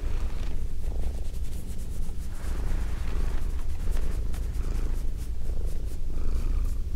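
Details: A female house cat purring, recorded with binaural microphones: a dense, low, rough rumble that holds steady throughout, with faint crackly rustles above it toward the end.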